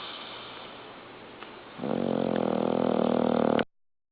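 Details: Dozing dog Norman breathes quietly, then breaks into a single loud, rattling, buzzy snore lasting nearly two seconds before the sound cuts off abruptly.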